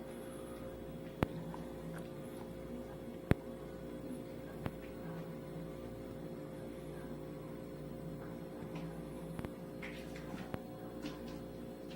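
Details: Quiet indoor room tone with a steady low hum and a few sharp clicks, no animal voice heard.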